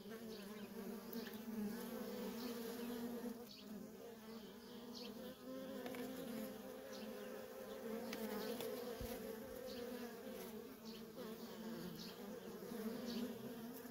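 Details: Busy feral honey bee colony, worker bees flying constantly; a thick, steady buzzing hum with frequent brief fly-bys of single bees rising and fading over the drone.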